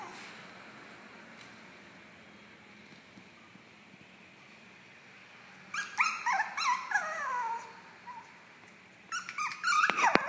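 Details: Pomeranian dog giving a burst of high, falling whines and yelps, harmonic and wavering, around six to eight seconds, then a short sharper yelping burst near the end over a quiet hum.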